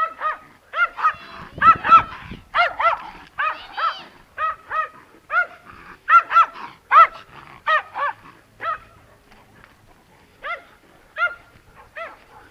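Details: Terrier barking in a long run of sharp, high-pitched barks, repeated in uneven bursts at roughly one per second.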